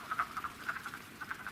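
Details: Several wood frogs give short, hoarse clucks in quick bursts, calling over one another at a vernal pool where a handful came to breed in early spring (late Feb–early March 2017) at a nature sanctuary.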